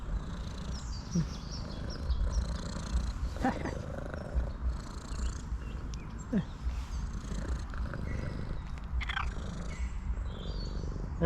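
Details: Tuxedo cat on a wet forest road after rain, hungry and happy at being met, keeps up a low continuous purr while a person talks to her softly; brief bird calls sound in the background.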